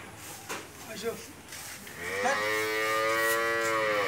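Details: A Friesian dairy cow, second calving with a bull calf and 27 to 28 litres of milk daily, gives a long sustained moo starting halfway through, rich and even in pitch, after scattered knocks and background noise.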